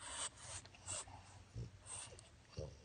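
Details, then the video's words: Male French Bulldog just woken from an afternoon nap in his crate, giving a series of short, breathy snorts and huffs in irregular bursts, one every half second or so, indoors. "Snoring French Bulldog gets Woken from Nap"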